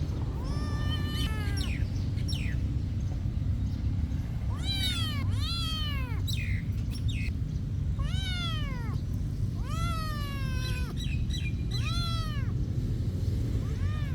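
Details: Meowing from cats kept at a monastery: a burst of short meows, then a pause, then longer arched meows about every two seconds, bright and insistent, with a deep steady hum underneath.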